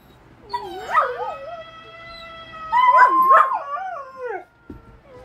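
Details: A female Golden Retriever howls in long, wavering tones that slide up and down.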